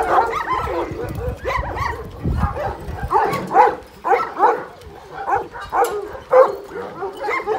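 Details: Golden Kangal shepherd dogs letting out bursts of harmonic, yelping barks in loose clusters. Louder peaks come roughly every half second, with quieter gaps between groups of calls.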